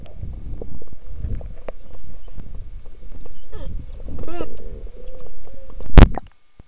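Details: Beluga whales recorded underwater in the Churchill River beside Hudson Bay, Churchill, Manitoba, where they come in summer to mate; brief wavering, stacked tonal whistles, then a steady tone, over low watery rumbling and a sharp knock.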